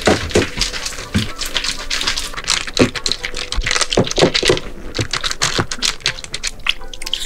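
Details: Rapid irregular dripping and tapping sounds in a small indoor room, with a faint tonal hum.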